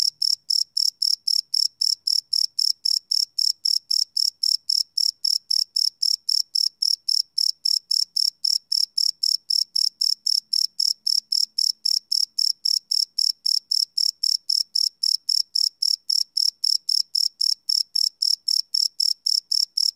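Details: A long unbroken run of cricket chirping at night, recorded live with a Sony PCM D100 field recorder; sharp high-pitched pulses come about four per second, evenly spaced throughout, with a faint low murmur in the middle.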